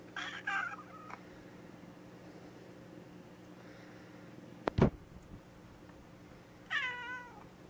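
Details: Gray tabby cat, after polyp-removal surgery and before a feeding tube, gives a rough meow early and a clear falling meow near the end, with a sharp knock between and steady background hum.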